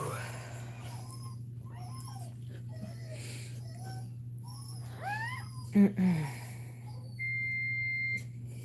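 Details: Cane Corso crying while another dog, Cashmere, is in labour: a few short, rising, harmonic whimpers cluster near the end, over a steady low electrical hum, with a brief flat high tone afterwards.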